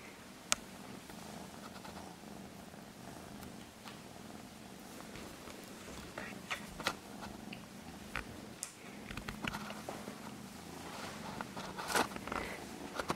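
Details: Purring Norwegian Forest cat, an even, low vibrating drone lasting the whole stretch, with scattered clicks and handling noises growing more frequent toward the end.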